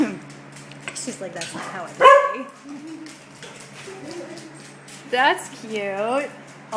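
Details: Puppy indoors letting out one loud sharp bark, then a couple of higher, rising yelps toward the end, while a woman speaks softly throughout.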